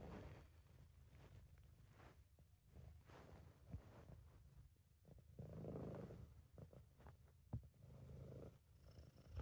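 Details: Steady low purring from Sabu, a content British Shorthair cat; the rumble runs nearly unbroken, rising in strength midway, with occasional small taps.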